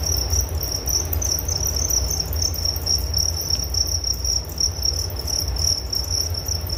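A continuous, shrill cricket chorus pulses evenly at a high pitch without pause. A soft low hum runs underneath throughout.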